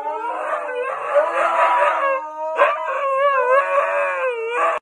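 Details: Two huskies trying to irritate a golden retriever, voicing a long harmonic howl-like yowl that wavers up and down in pitch, broken by a sharp burst near the middle, then resuming with wobbling, talkative rises and falls.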